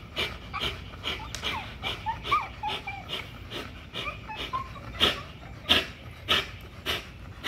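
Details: Exercising on the spring pole at Caona Bullys, an XL American Bully pitbull pants in loud raspy bursts, interrupted by soft rising whimpers and a few sharp, noisy exhalations near the end.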